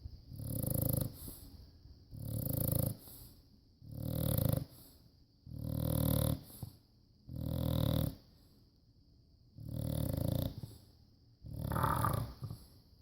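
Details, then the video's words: Steady snoring from a sleeping rescued bulldog: seven deep, gravelly inhalations come at an even pace, about one every two seconds, each separated by a short quiet pause. "Snoring bulldog"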